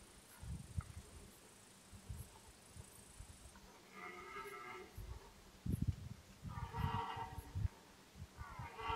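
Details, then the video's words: Red deer at the start of the autumn rut: two drawn-out, harmonic roaring bursts, the first after about four seconds and a longer one near seven seconds. Low rustling and handling noise run throughout. "The beginning of the deer rut Začiatok jelenej ruje"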